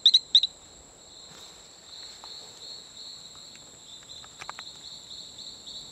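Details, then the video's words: Male Talamanca rocket frog calling on Isla Colon near Playa Bluff, Bocas del Toro, Panama: two quick bursts of sharp, high chirping notes open the recording, followed by a steady thin high-pitched whine and scattered faint clicks. "Calling male Allobates talamancae"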